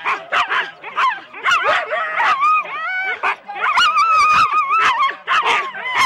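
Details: At a January 2016 start in Rendlesham, Husky sled teams of four dogs give sharp barks mixed with long, wavering high whines that bend up and down, bursts coming about twice a second amid the pack's noise.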